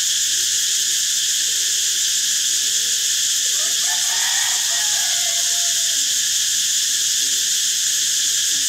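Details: Cicada drone, intense and unvarying, high and hissing without gaps; beneath it, faint soft looping calls recur, and a brief brighter burst of other animal calls rises in the middle seconds.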